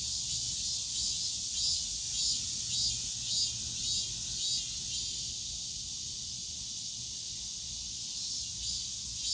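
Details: Summer cicadas in a bamboo grove at Yongsan Family Park, a high, pulsing buzz that throbs roughly twice a second for the first five seconds, then settles into a steady shrill drone over faint park rumble.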